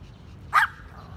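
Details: Chihuahua, one of eighteen pet dogs aged six months to six years sitting in a row in a garden in Bangkok, Thailand, on May 5; a single short, sharp bark against a quiet background.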